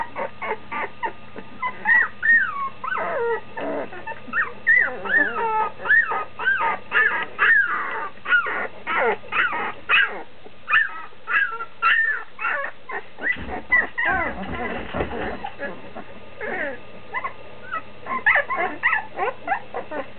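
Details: Standard schnauzer puppies nearly two weeks old, almost walking, eyes opening, crying for their mother just outside the whelping box; many overlapping high, squeaky whines and yips, rising and falling, with a brief low thumping around the middle.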